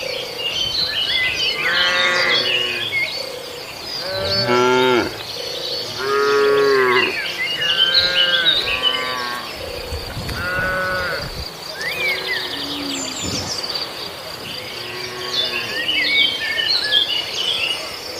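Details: {'caption': "Herd of cattle grazing in a farmer's rice field: a series of deep, drawn-out harmonic moos, several overlapping, every few seconds, over steady insect buzzing and frequent chirping birds."}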